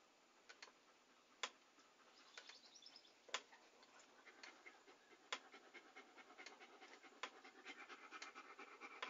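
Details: A dog's soft, hushed breathing, recorded as ASMR meant for relaxing, grows into steady rapid panting after a quiet start, with some crisp clicks near the beginning.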